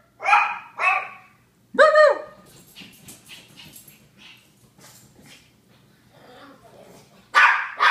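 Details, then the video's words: Japanese Chins bark in short harsh yaps and one ringing tonal yelp, followed by a stretch of softer mixed sounds and murmuring before another loud bark at the end. "Barking Japanese Chins"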